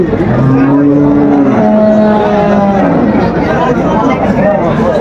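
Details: Sahiwal cow with a bull calf, for sale at Aftabganj market, Dinajpur, Bangladesh, June 2025: a low drawn-out moo, then a higher sustained tone, over busy crowd chatter and bargaining voices.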